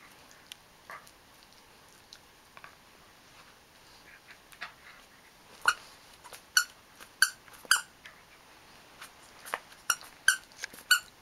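A Cairn Terrier gives a string of high, squeaky whimpers that sound almost like a sea otter.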